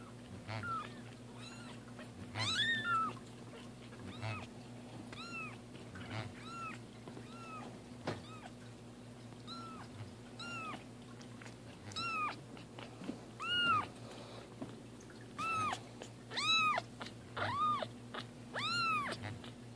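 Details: Two cats named Roger Taylor and Simon LeBon having their first bath, indoors in a small room; repeated arched meows, some short and some drawn out, about every second, over a steady low hum and splashing water.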